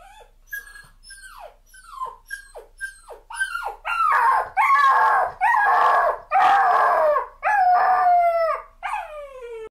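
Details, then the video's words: Puppy crying in a sequence of short descending yelps that build into loud, sustained strained wails, each held about a second, closing with a long falling whine. "Puppy crying sound is the cutest thing you will ever hear!"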